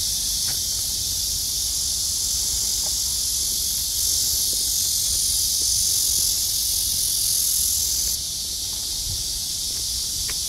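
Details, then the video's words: Summer chorus of cicadas in August, clear blue sky after torrential rain; a continuous shrill buzzing wash that swells slightly around the middle and drops a little in loudness near the end, faint low rumble beneath. "매미소리와 파란 하늘 제대로 된 한 여름날 입니다."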